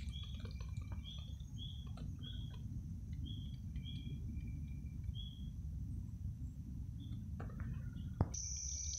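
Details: A spring peeper (Pseudacris crucifer) calling in fall gives brief, high, whistled peeps at irregular half-second to one-second intervals, with another individual in the background, a nearby narrow-winged tree cricket, and low rumble with faint clicks.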